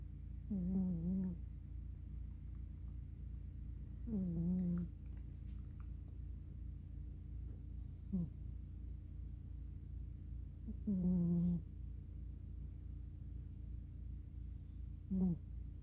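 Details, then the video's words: Miss Tinker Kitty, a black female cat, snores softly in deep sleep, curled up on a pillow after playing; five low, harmonic snoring breaths come roughly every three to four seconds over a steady low indoor hum. "Sshhh Don't Wake the Cute Snoring Kitty..."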